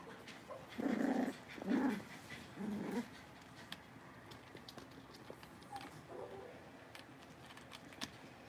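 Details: Six-week-old blenheim Cavalier King Charles Spaniel puppies from a litter of five in an indoor puppy pen: three short, low, growly bark-grumbles about a second apart, then quieter scattered rustles and faint yaps.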